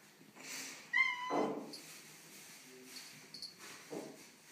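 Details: Tortoiseshell cat, female, unhappy on the day of moving into a new house, giving one short, clear, harmonic meow followed by faint softer sounds in a quiet indoor room.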